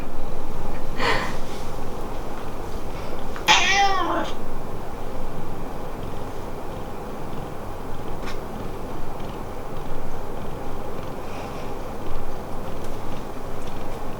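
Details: Domestic cat vocalising to its family, its meows to the parents sounding different from those to the daughter it adores; one clear, short, bright meow with stacked overtones near the start, a faint earlier call, then quiet indoor background.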